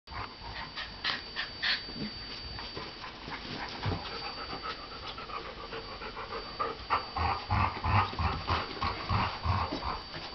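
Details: German Shorthaired Pointer trying to get another dog to play, heard as rapid rhythmic panting and huffing breaths with scuffling bursts, steady background hum throughout.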